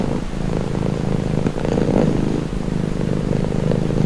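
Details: Purring cat: a deep, even, vibrating rumble, slightly louder around its middle, running unbroken with no other noises.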